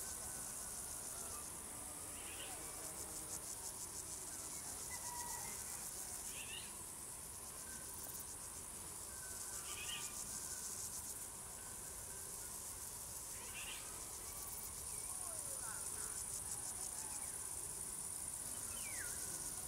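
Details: Crickets singing in a dense, high, steady trilling chorus, while short chirps from other creatures recur every couple of seconds in the background.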